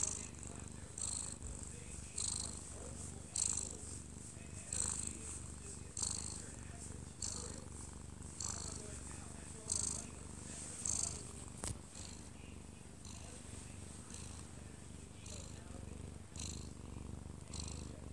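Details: Close-up of a sleeping odd-eyed Munchkin cat aged one year two months, held in its owner's arms; a steady low purr swells and fades with each breath, roughly once a second, while a television plays quietly in the living room.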